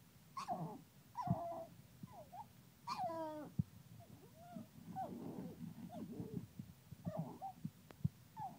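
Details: Pug, angry and trying to get to the bottle, whimpers in quick nasal whines that bend up and down, some with clear harmonics, over a steady low rumble and a few clicks.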